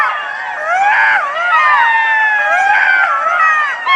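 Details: Chorus of golden jackal howls: several voices layer long quavering wails that bend up and down, swelling loudest near the middle, with short sharp yips mixed in.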